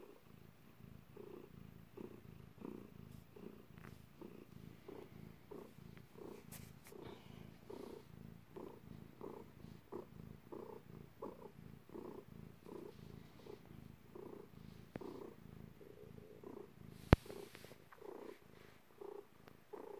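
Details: Domestic cat purring while giving birth, a steady low rumbling purr pulsing about twice per second in a quiet indoor room, with one sharp click near the end.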